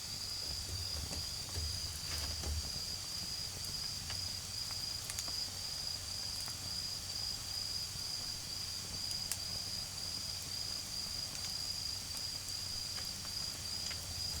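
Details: An unbroken high-pitched trill from autumn insects fills a nighttime garden where a campfire burns, its scattered crackles and pops standing out against a soft, distant drone of cars.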